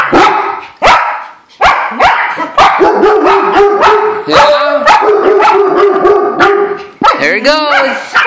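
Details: Pack of pet dogs going wild at a squirrel they have spotted: dense, overlapping barks and high yips with no pause, ending in wavering, howl-like yelps, while a person talks about the squirrel.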